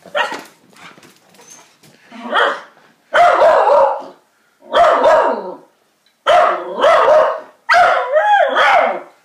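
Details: Excited barking from Jerry, a Jack Russell x beagle cross, aimed at a full-breed beagle down the road: a few soft early yelps build into loud, harsh barks spaced about a second apart, with a person calling his name between them.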